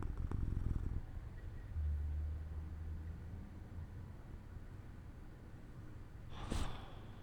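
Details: Jojo, a pet cat, dozing off beside an open window in the sunlight; a soft, low, steady rumbling purr runs throughout, with a louder burst at the start and a brief broadband rustle near the end.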